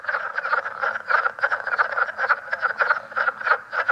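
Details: Leopard frog of a newly found New York and New Jersey form with a distinct call, recorded at Great Swamp National Wildlife Refuge: rapid chuckling croaks in quick irregular bursts, about three per second, with a faint low drone beneath.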